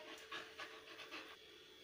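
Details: Suzi, a female Labrador Retriever puppy, during obedience training: soft, breathy panting bursts, about four in under two seconds, over a faint steady indoor hum.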